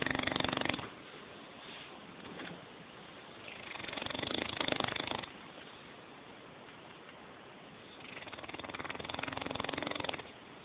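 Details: Sleeping English Mastiff snoring: three long, noisy, rasping breaths about four seconds apart, each swelling and fading over one to two seconds, with quiet low hiss between them and no other sounds.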